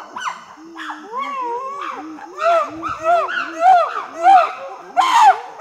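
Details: Chimpanzee pant hoot building toward screams: rhythmic arched hoots repeating about twice a second, growing louder and higher, ending in a harsh loud scream.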